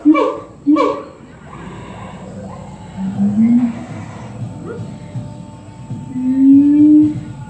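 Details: Siamangs at a zoo hooting to rile up white-handed gibbons across the fence: two short, sharp harmonic calls open, then low hoots that slide upward and swell near the middle and again toward the end, over a steady hum.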